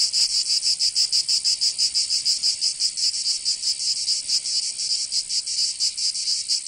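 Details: Summer cicada chorus from Provence in the south of France, a loud shrill buzzing throb with pulses roughly every two thirds of a second, slightly uneven, continuous and unbroken by other sounds.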